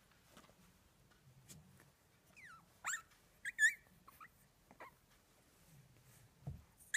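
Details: Phoebe, a dog on a rampage and out to tease, gives high whining whimpers that slide up and down, with a few short squeaky bursts near the middle and soft shuffling and thuds between them.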